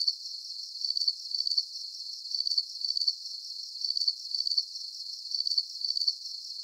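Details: Crickets in a calm night soundscape, giving rhythmic shrill trills grouped in twos, about every second and a half, regular and unbroken above a thin hiss.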